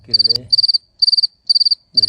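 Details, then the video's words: Cricket chirping: high, pulsed chirps of about five rapid pulses each, repeated roughly every half second. Brief low voice-like sounds at the start and end. "The sound of crickets chirping"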